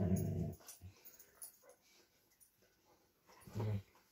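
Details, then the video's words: Vizsla and Doberman playing indoors over a new toy, each wanting it; low rumbling growls open the clip, then quiet scuffling and a second short deep growl near the end. "Vizsla vs Doberman - gimme your toy!"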